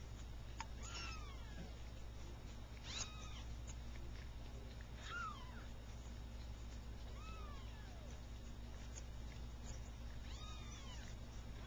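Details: Three-week-old Persian kittens, two red and white and one cream and white, just starting to play; high thin meows with bending pitch, about five spaced over eleven seconds, over a steady low hum.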